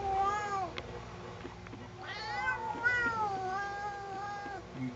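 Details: Cat protesting being combed at home, giving a string of long, plaintive, whining meows that bend up and down in pitch, one after another, with a woman's soft voice and faint low hum in the room.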